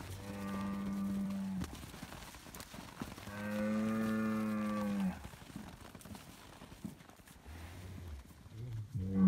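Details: Scottish Highland cattle bull in Finland given bread, bellowing loudly: a long moo, then a second longer, fuller moo held nearly two seconds, followed by short low grunting moos and farmyard rustling.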